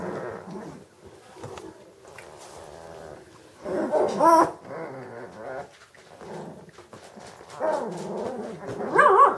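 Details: Vizsla from a German breeding kennel of working hunting lines, giving harmonic growling vocalizations with a louder rising whine near four seconds and another burst near the end.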